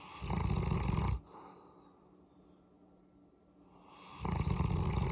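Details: Low, growly purring from Molly the Boerboel while her head is massaged: two deep snore-like rumbles, one at the start and one near the end, separated by about three seconds of quiet breathing.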